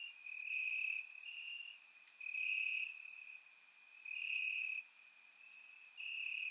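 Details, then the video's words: Warm summer night in Bulgaria with crickets calling from the grass; long shrill trills rise and fade in waves every two seconds or so, a second quieter trill filling the gaps, captured on a surround microphone. "Cricket Sounds - Crickets Chirping at Night"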